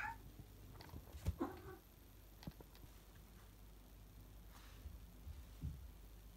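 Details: A single short meow from Salem, a pet cat up from his daytime nap and exploring the house in the late afternoon. Soft taps and knocks are heard indoors, with a low hum underneath.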